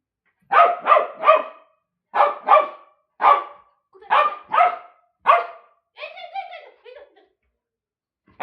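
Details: Bozo the dog, framed as battling a fly, lets out rapid barks in clusters of two or three with short gaps, then softer tonal wavering sounds before one last bark at the end.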